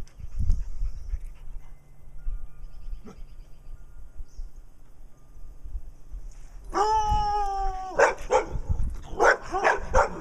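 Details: Brown Dog, a pet in Wadena, Minnesota, barking for attention alongside another dog, Stella. A near-silent stretch gives way to a long, steady, harmonic whine, then a burst of sharp, ragged barks near the end.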